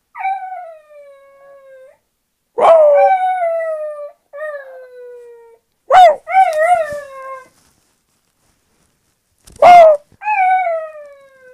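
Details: West Highland White Terrier Kenzie in a wolf-like howling bout: several drawn-out, gently falling howls, three of them opening with loud, sharp yelps, repeated roughly every three to four seconds.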